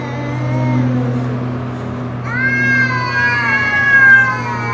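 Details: Domestic cats facing an intruder cat, drawn-out tonal yowl with steady harmonics that shifts abruptly to a higher wavering wail midway, over a constant low electrical hum.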